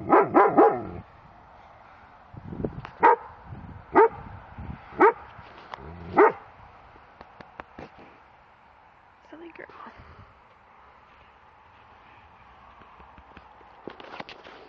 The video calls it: german shepherd protection bark